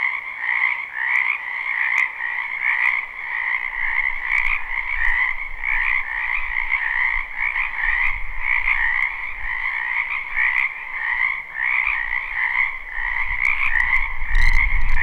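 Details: Spring frogs croaking in a wetland behind a house, live recording without looping: a dense, continuous chorus of overlapping trilled croaks in two bands, pulsing steadily, with low rumble rising near the end.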